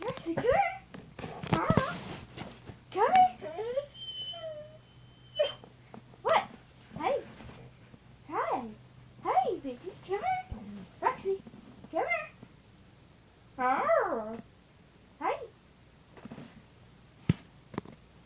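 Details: Pet dog making funny noises: a series of short, squeaky whines and yelps, each rising then falling in pitch, repeated roughly once a second with brief pauses, in a quiet indoor setting.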